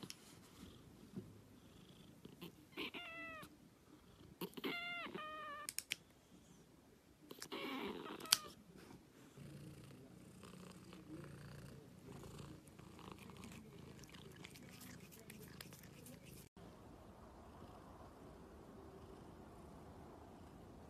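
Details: Black cat giving a few short, tonal meows, some in quick pairs and a longer one, then settling into a soft continuous purr with light rustling.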